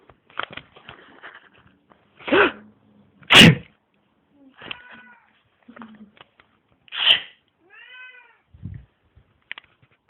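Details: Mitzy the domestic cat reacting to deep inhalations and sneezes: loud breathy bursts and sniffs, with a few brief soft meows between them and one clearer falling meow near the end.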